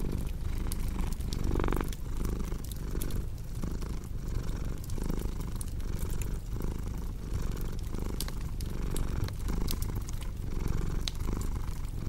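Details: Domestic cat purring steadily as a low, continuous rumble that swells and fades with each breath, roughly once a second, mixed with the sharp snaps and pops of a crackling fireplace indoors.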